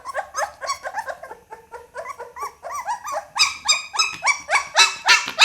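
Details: Young Pit Bull pup yelping insistently: short, tonal, slightly rising cries in quick succession that grow louder and shriller toward the end.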